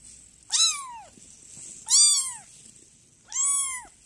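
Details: A cat meowing, three clear, high, arched meows each lasting about half a second, spaced roughly one and a half seconds apart, with a steady high hiss in the background.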